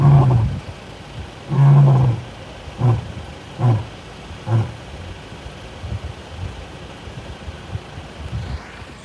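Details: A male lion in Kruger National Park roars in a low, booming voice: two long, deep moaning roars followed by shorter, fading grunts spaced under a second apart, trailing off into quiet.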